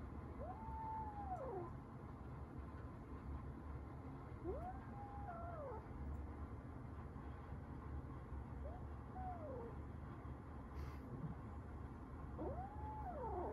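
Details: Domestic cats at home, resident tabby cats Lili and Rimu meeting rescued kitten Rita, who is in a cage, for the first time: four drawn-out, arching meows, each about a second long, spaced a few seconds apart over low room hum.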